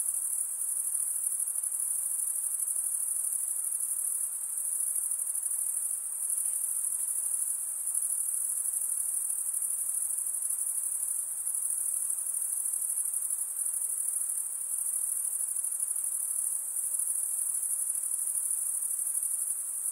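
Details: Insects at night keep up an unbroken high-pitched trill, a shimmering even drone with slight pulsing and very little change in loudness, over a soft background hiss.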